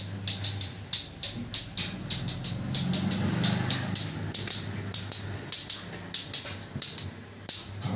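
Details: Rhythmic percussive music with sharp hissing hits and a low steady drone underneath; no clear animal sounds heard.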